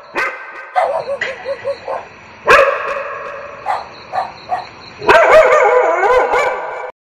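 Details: Dogs barking for a reaction-testing and desensitizing exercise: quick series of short yips, then loud sharp barks, sustained harmonic barking and wavering howl-like yelps near the end.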